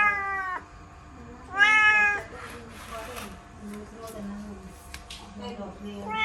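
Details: A house kitten caught in a laundry basket meows repeatedly: a short cry at the start, a louder rising-falling meow after a pause, then another beginning at the end, with rustling and faint low voices between.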